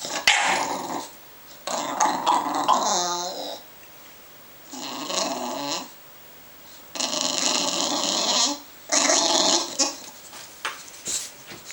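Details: Begging bulldog making loud, drawn-out growling whines in bursts of one to two seconds, separated by short quiet gaps, recorded close up indoors.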